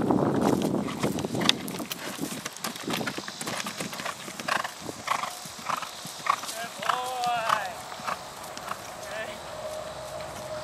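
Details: Horse at Gordonsdale during the first cross country school of Sebastian, a five-year-old chestnut gelding off the track training at Tebogo Sport Horses; a brief wavering whinny rises and falls midway, amid hoofbeats and people talking.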